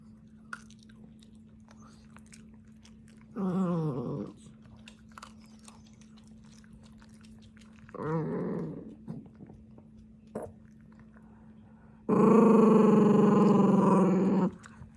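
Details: Dachshund, a slow eater, growling while eating: three low, rough, harmonic growls, the first two about a second each and the last stretching over two seconds, between crunchy chewing and biting sounds indoors with a steady background hum.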